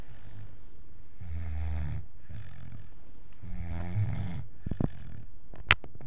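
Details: Max, a five-month-old wire-haired vizsla puppy, snoring while asleep indoors: low rumbling snores roughly every two to three seconds, followed by a few soft clicks and a sharp tick at the end.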